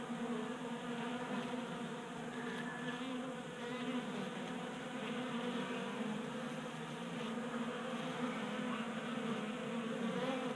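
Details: A group of honey bees feasting at a 3D printed bee feeder in a garage in Colorado during unseasonably warm January weather; sustained buzzing drone of many wings, rich in humming overtones, with no other sounds.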